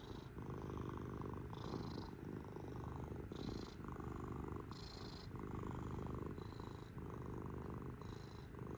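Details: Kitty cat purring like a motor, a continuous low buzzing vibration with a faint hissy overtone on alternate breaths, cycling roughly once a second in a quiet room.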